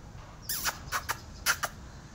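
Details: Kittens outdoors with their mother cat and an adult cat named Aunty Ash, all wanting to go inside: one short mew sliding downward with faint overtones, followed by several sharp knocking clicks.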